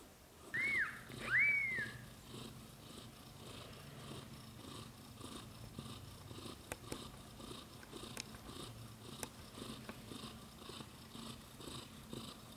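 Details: Newborn-to-month-old British Shorthair kittens with their mother cat Samel. Two quick, high, thin mews open the recording, then quiet breathing-like rustle with a few sharp ticks.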